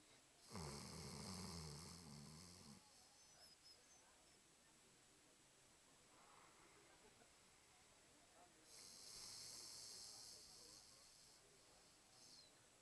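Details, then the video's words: Diesel, a pet dog, snoring: a long low rattling snore with a buzzy, harmonic drone lasting about two seconds, a quiet pause, then a softer hissing breath. "Diesel snoring"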